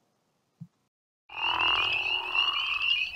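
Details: Crawfish frog (Lithobates areolatus) in Tennessee gives a loud, rough, snoring call, with spring peepers peeping faintly behind it.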